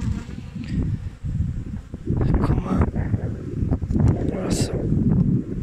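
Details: Honey bees at a beekeeper's hives in New Zealand, recorded 20 August 2021 during a check on a wingless queen; a low, dense, continuous hum with surging loudness, a few brief higher buzzes and handling knocks.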